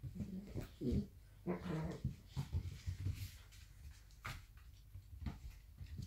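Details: Blue roan working cocker spaniels in a play fight, giving low rumbling growls and brief whining whimpers in quick succession, mixed with rustling and scuffling sounds.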